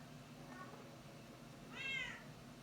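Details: Female Bengal cat in heat, yowling: a faint short cry followed by one loud, drawn-out, arched wailing call with rich harmonics, over a steady low background hum.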